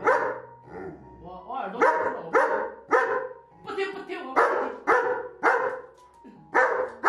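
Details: Angry German Shepherd dog 'scolding' its owner for about three minutes because dinner was announced but not served; rapid series of harsh barks mixed with grumbling, over continuous music.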